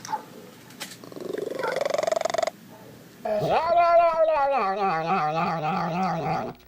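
A domestic cat gives a long, drawn-out, wavering yowl after a softer, rising, throaty sound.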